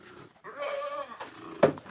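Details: Boer goat cross kept on a village farm; a single wavering, nasal bleat lasting about half a second, followed by a sharp knock and low background noise.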